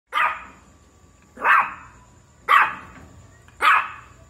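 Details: Shih Tzu puppy giving four sharp, high yapping barks spaced about a second apart, each bright and brief, with a quiet room behind.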